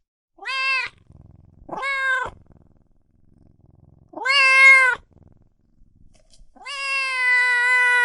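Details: Cats and kittens meowing loudly: four meows. The first three are short and rising, with soft low rumbling between them. The last is a long, steady, sustained meow lasting over a second.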